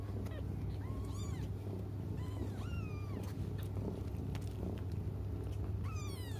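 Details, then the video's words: Crying cats waiting for their mom: a series of drawn-out, arching meows, some sliding downward, spaced irregularly over several seconds. Low droning noise and faint clicks in the background. "until their mom comes just stop crying 😭"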